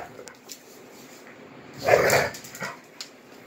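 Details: Two Rhodesian Ridgebacks, Kwela, nine years old, and Honey, a nine-week-old puppy, mouth-wrestling in play indoors; one short, rough growling burst rises in the middle, with a few faint soft sounds around it in a quiet room.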